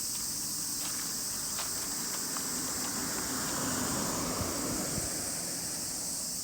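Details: Many cicadas singing together during a walk with Colin, a Miniature Pinscher; a steady, unbroken high-pitched shrill drone runs through the whole stretch, over faint ticking sounds and low rustling and footstep noise.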